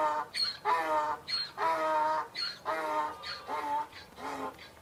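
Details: Donkey braying: a loud, harsh hee-haw in which buzzy, rich-toned pulls alternate with breathier gasping notes, about twice per second, over nearly five seconds. No other sounds stand out.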